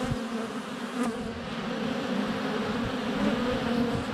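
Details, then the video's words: Constant drone of many honey bees flying around a hive entrance in February sunshine, captured by a GoPro less than a foot from the hive; an even low buzz with a soft knock near the start. "4K Honey Bees - ambient video and audio"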